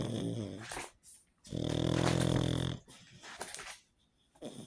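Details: Frodo the pug, a sleepy pet dog, snores indoors: a raspy snort opens, then a long, loud, rumbling snore of more than a second, followed by softer wheezy breaths and a short final snort.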